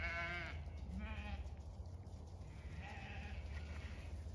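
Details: Several Zwartbles ewes on a County Kilkenny farm in Ireland bleat as they come to freshly placed hay in thawing weather; a strong quavering bleat opens, followed by shorter overlapping calls from other ewes against a low hum.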